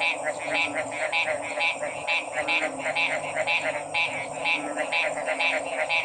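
Frogs give short, bright, rattling notes repeated about twice a second over a dense chorus.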